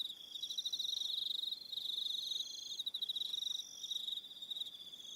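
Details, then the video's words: Crickets on Aroha Island, New Zealand, in the evening: a steady high pulsed trill, rapid chirps running in bursts of about a second with brief gaps, layered with fainter, higher shrill tones from other callers. "1 Hour Relaxing Evening Sound of Crickets"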